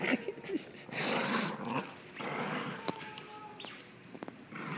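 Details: Playful scuffle between the two dogs Milo and Madison indoors, with harsh, noisy snarls and growls in uneven bursts, scuffling and clicks, and a human voice nearby.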